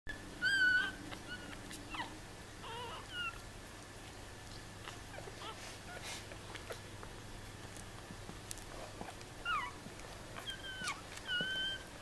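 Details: Newborn Yorkshire Terrier puppies, a litter of five indoors, giving faint, thin, whistled squeaks that bend downward, scattered in short clusters across a quiet background hiss.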